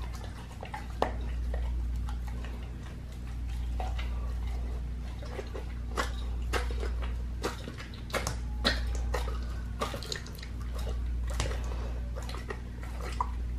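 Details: Raw-feeding pit bull crunching a lamb leg: sharp ticking bone clicks and crunches in uneven bursts, some loud single snaps, over a steady low background hum indoors.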